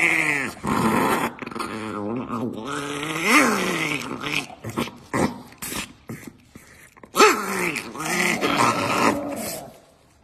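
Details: Chihuahua; growl; anger, a threatening warning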